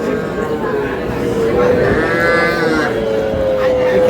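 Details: Sahiwal bull at a farm in Comilla, Bangladesh, lowing in one long, steady moo that holds its pitch for about four seconds and lifts slightly near the end, with faint voices in the background.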